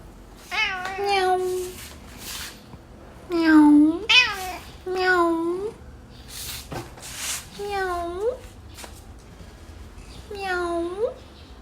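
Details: White cat named Nai Cha meowing indoors in a small room, a series of rising and falling meows, some drawn-out and bending upward at the end, with a person talking and babbling between them.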